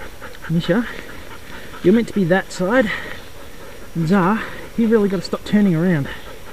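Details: Racing sled dogs at the 2012 Wild Dog Derby in South Australia, 6 Dog heat, giving short wavering whines and yelps in clustered bursts, rising and falling in pitch, with brief pauses between groups and soft panting underneath.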